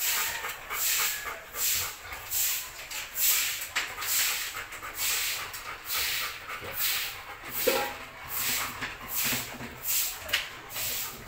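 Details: Hissing, rhythmic panting from a Belgian Malinois enjoying a bone, breaths coming roughly every second, with one brief whine-like note near the middle.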